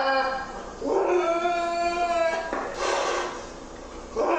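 A lynx gives a drawn-out, wavering yowl with a rich, whining tone, followed by a harsher breathy cry.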